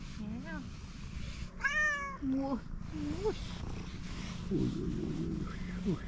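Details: Fluffy calico cat meowing on seeing a familiar person: several short, rising-and-falling tonal meows, one louder drawn-out cry near the middle, mixed with a woman's gentle talking.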